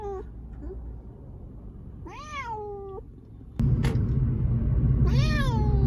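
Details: Siamese cat taken to an animal hospital because of a cough, giving two drawn-out, arching meows about three seconds apart, the second louder, over a low steady hum.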